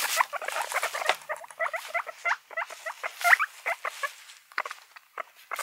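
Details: Domestic guinea pigs in a group: quick clusters of short squeaky chirps, rhythmic and repeated in bursts, over soft rustling and patter.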